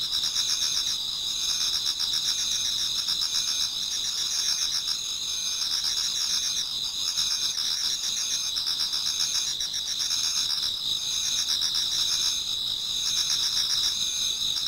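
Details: Insects of an autumn night sing in a Japanese garden as dawn approaches; many voices make a continuous shrill ringing layered with rapid pulsed chirps in repeating bursts.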